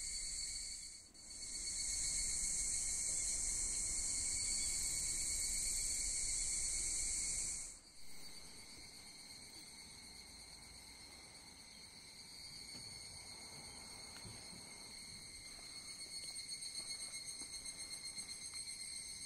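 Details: Higurashi cicadas begin calling all at once before dawn on August 10 at Sugimoto-dera temple in Kamakura, beside stairs lit by candles. A loud, bright buzzing chorus holds for about five seconds, breaks off, then a softer shrill drone continues and gradually builds.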